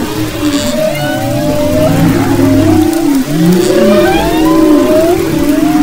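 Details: Humpback whale song off Maui's west coast, February 2011: long wavering tonal moans sliding up and down, with a low steady groan underneath and higher looping whistles overlapping, several voices at once.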